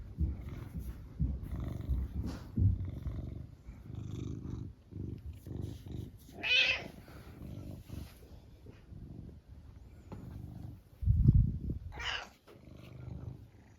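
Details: Indoors, the brown tabby Mametarou seeks affection while greeting its owner, purring steadily and low at first, then giving two short rising meows, one midway and one near the end, with soft handling noises between.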